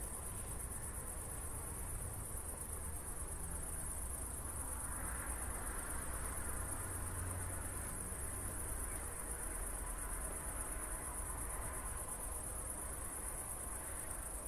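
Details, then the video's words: Crickets chirping after a thunderstorm on a night walk at Zwettl, Austria, in 24-bit stereo: continuous high, rapid trilling without pause, layered over a deep murmur of walking and distant background sound. "ASMR Cricket Sounds"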